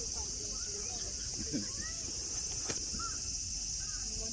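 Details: Cicadas droning in Nara Park, Japan: an unbroken shrill hiss, joined by a sharp click near the middle and faint low chirps and murmurs in the background.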